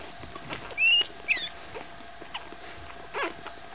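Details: Newborn Staffordshire Bull Terrier puppies, five days old, let out a sharp, high rising squeal followed by a shorter squeaky chirp, then soft rustling and quiet background hum.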